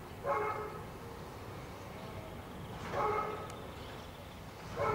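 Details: A five-year-old female German Shepherd, recorded in 2008, gives short, harmonic barks about every two and a half seconds.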